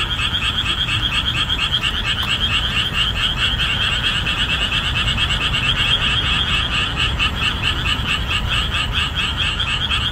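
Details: Summer marshland after the end of the rainy season, where boreal digging frogs call at the top of their voices; dense overlapping pulsed croaks, about two each second, forming a steady rhythmic chorus.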